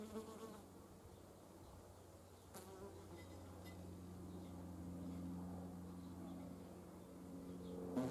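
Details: Hornet in flight, a steady low droning hum of wingbeats with layered overtones running through the whole stretch, swelling slightly midway, with brief clicks near the third and eighth seconds.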